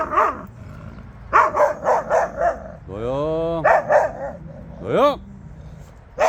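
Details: Jindo dogs out on a free walk give a quick run of short, sharp barks, about four in a row, then a few more after a pause. A person's drawn-out voice sounds in between.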